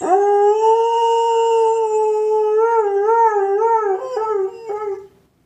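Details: German Shepherd howling in reaction to a squeaked toy ball: a sustained, clear howl that holds level, then wobbles up and down before breaking into short yips and fading out.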